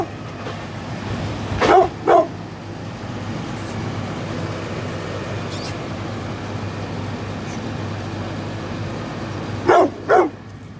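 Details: Brindle 9.5-year-old pit bull giving two quick pairs of gruff barks, one pair early and another near the end, separated by a long stretch of low steady hum.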